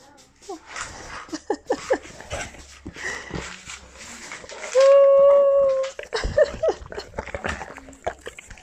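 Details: Chocolate Labrador indoors, coaxed for a kiss, gives one loud sustained tonal whine of about a second, steady and slightly wavering, with shorter yelps after. A person talks throughout, with shuffling and handling noises.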